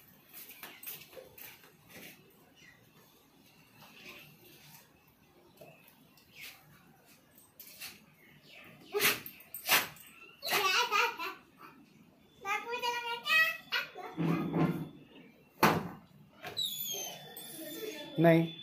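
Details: German Shepherd and Rottweiler mix dog, male, excited on realising he is going outside for a doctor visit: sharp high whines with stacked harmonics and short yelping bursts, growing louder toward the end, mixed with people talking nearby.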